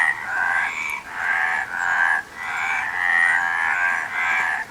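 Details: Frogs calling together in long, buzzy, pulsed croaks lasting about a second each, rising and falling in loudness with short dips between bursts; several voices overlap in a steady, dense chorus.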